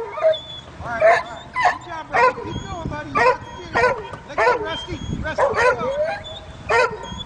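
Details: Two dogs stranded in a canoe drifting with the current bark incessantly while a black labrador swims out to tow them ashore. Sharp barks and yips come in bursts about every half second, with some whimpering, and a man calls encouragement nearby.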